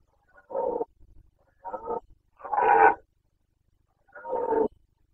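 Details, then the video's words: Carpathian red deer stag roaring in the 2021 rut in Bucovina, Romania: a series of four hoarse, harmonic bellows, the third longest and loudest, with brief low grunts between them. "Boncănit / Carpathian stag Breeding season 2021"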